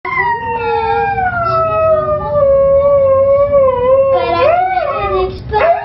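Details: A Siberian Husky singing along to the song "Fight Song" gives a long, wavering howl that slides slowly downward, then rises into yodel-like breaks.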